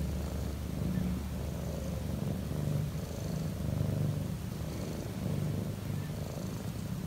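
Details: Deep, loud purring of a relaxed cat, an even low rumble swelling and easing with each breath roughly every second and a half, faint breathy hiss above.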